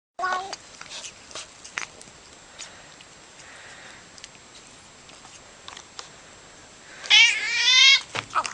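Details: Domestic cat enjoying being petted, making funny noises: a short harmonic meow at the start, scattered soft clicks and rustles, then a loud wavering meow near the end followed by a brief chirp.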